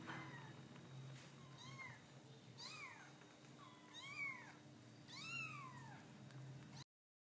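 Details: Domestic cat giving a series of short arched meows about once a second, each rising then falling, growing louder and more drawn out toward the end, over a constant low hum.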